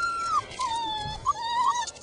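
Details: Five-week-old puppies outdoors whining once they notice a person; long drawn-out nasal whines that slide gently downward, two connected cries with a brief break, faint rustling beneath.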